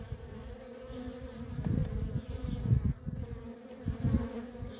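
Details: Worker honey bees in nonstop traffic at a feral colony, a steady hum with a strong low band and its higher overtone, plus uneven low rumbling surges as bees pass close.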